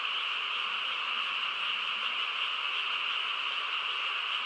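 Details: Countryside frogs at night, calling together in a continuous massed chorus of high, shimmering trills that never let up across the short stretch, with no other sounds.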